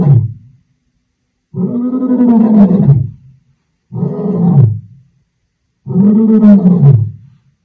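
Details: Wild lion on the African savannah gives a series of drawn-out, rasping roars. Each lasts over a second, and there are four bursts across about eight seconds with silent gaps between them.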